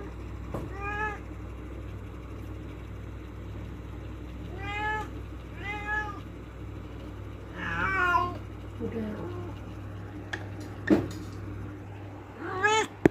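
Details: Angry domestic cat demanding that a door be opened lets out five separate meows spread over about thirteen seconds, each short and harmonic-rich. People laugh and talk between the calls, a low hum runs throughout, and there are a few sharp knocks.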